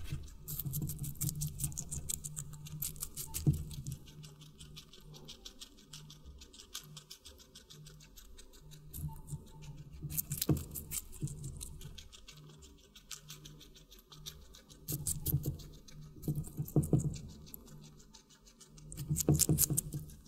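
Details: Guinea pig munching watermelon in a close-miked ASMR mukbang recording: crisp crunchy bites and juicy chewing come in uneven bursts across twenty seconds, with quieter patter between them and a faint constant low hum.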